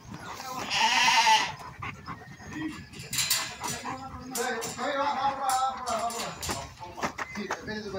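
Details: Galician sheep during shearing at a farm in Vilariño de Conso, Viana do Bolo; one loud, wavering bleat early on, then people talking and mixed farmyard noise.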